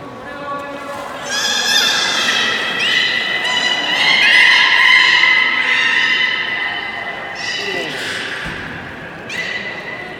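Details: Beluga at Port of Nagoya Public Aquarium, public training 24 March 2018 at 16:30, producing long rich harmonic squeals and whinnying calls that swell and fade, with people speaking in a large echoing hall.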